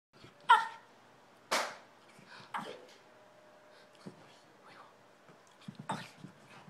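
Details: A female Shih Tzu barks before running off, giving a few sharp, high barks spaced irregularly, with quiet pauses between them.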